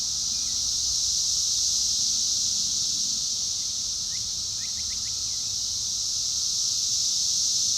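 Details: Continuous high, sizzling drone of cicadas overwhelming a mockingbird; a small cluster of faint, quick bird notes appears midway, almost lost under the insects.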